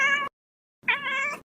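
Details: Domestic cat resting on the floor, giving two meows: a short tonal call cut off, then after a half-second pause a longer harmonic meow lasting about half a second with a slight upward bend at its start.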